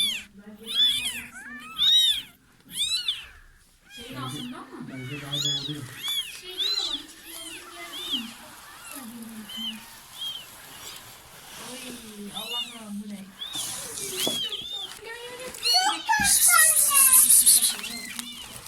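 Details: At the birth of a litter from a cat that sneaked into a neighbour's home, many short high meows come in quick irregular bursts, mixed with a man talking in Turkish and brief music, with a hiss of noise near the end.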